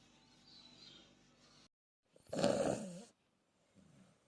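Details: Australian Bulldog puppy asleep, giving one loud rasping snore of about a second in quiet surroundings, with soft breathing before it and a faint grunt after.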